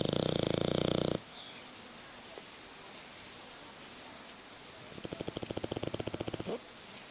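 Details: Sleeping bulldog on a sofa: a loud rasping snore opens, then a quiet pause, then a quick run of soft rhythmic snuffling pulses, with a person urging the dog to wake in Italian.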